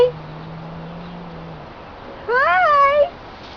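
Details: Domestic cat flipping out while being anointed with oil indoors: after a low steady hum, one drawn-out wavering meow rises sharply, then dips and trails off, clear harmonic tone against a quiet room.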